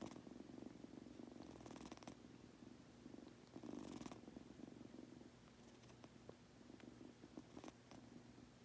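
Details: Sleepy Munchkin kitten purring at home, a quiet low rumble that fades and returns, broken by a couple of breathy swells and small clicks, growing softer toward the end.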